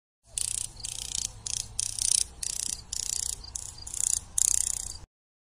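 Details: Grasshopper stridulating in bursts: dense, hissing pulsed trains high in pitch, each lasting about half a second, separated by short gaps, repeated steadily for around five seconds with faint low rumble beneath.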